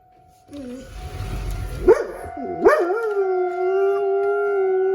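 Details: Pet dog outdoors during a weekly tornado siren drill in Rochester, Minnesota, starting to howl after a noisy opening: a rising wail that settles into a long, steady, low howl beneath the siren's constant high tone.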